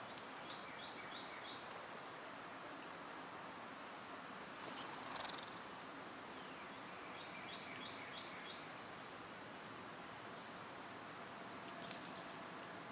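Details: Summer cicadas make a loud, unbroken, high-pitched buzzing drone that holds steady throughout, with short descending bird chirps scattered over it.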